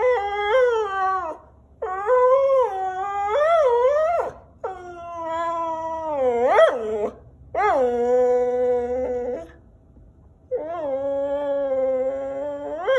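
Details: Whippet complaining about the camera indoors: five wavering whine-howls of one to two seconds each, separated by short silences. Several bend upward into yodel-like rises and squeaks.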